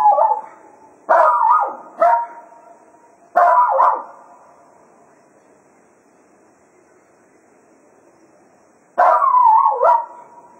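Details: At Quail Roost after a day of foxhunting, Cato the Jack Russell Terrier serenades the departing hounds with a run of short yelping howls, three close together, then a long quiet gap before a final wavering howl.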